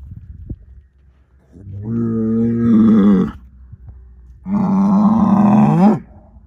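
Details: Angus herd sire bull, a son of SAV Harvestor 0338 born in spring 2018, bellowing twice: a low harmonic moo of about a second and a half, then a louder, longer one ending with a rising break.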